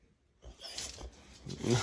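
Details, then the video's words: Samson, a pet Boxer dog, making a funny sound: a rough, breathy grumbling noise that builds over about a second and a half and grows loudest at the very end. "Boxer makes Funny Sounds"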